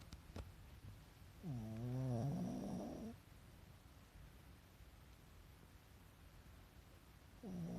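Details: Indoors, a dozing Pekingese with whites of its eyes showing lets out one long, nasal, rattling snore, rising then falling over almost two seconds, followed by near silence and the start of the next snore at the end.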